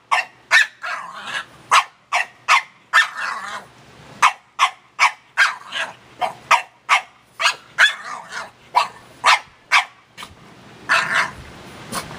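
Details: A pet dog named Penny barks steadily and makes chattering whine-like 'talking' sounds as Ruby, another dog, licks her owner; high sharp barks repeat at about two or three per second with brief pauses between runs.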